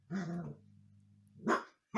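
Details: Indoors, the husky puppy Umka, teasing the family cats, makes a low whining growl followed by a short yelp, with a low hum between and another bark starting at the end.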